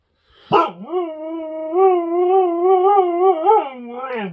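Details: Agouti husky howling at guests in the home; one long, sustained, slightly wavering howl with a sharp rising onset and a quiet ending.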